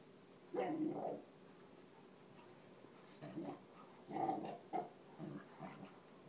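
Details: Indoor play between dogs: Casey, a 4-month-old Basset puppy, and his brother Charlie, a Labrador almost 15 years old. Playful growls and gruff barks come in short bursts, about five within six seconds, over a quiet room hum.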